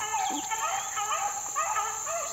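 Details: Young Beagle pups, four months old, working a rabbit outdoors in 2013: wavering, drawn-out howling bays that slide up and down, several overlapping voices over steady insect hiss.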